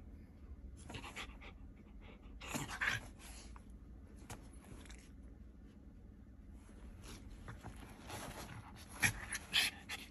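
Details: ['Dog panting indoors, soft breathy huffs in uneven bursts with quiet gaps between, a few louder rasping breaths near the start and end, over faint background hiss.']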